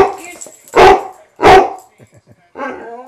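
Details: Maynard, a sweet pet dog on a Little Rock trip, 3-19-11, whose barking makes his ears tickle, gives two loud, harsh barks about 0.7 seconds apart, then a woman's voice speaks to him indoors.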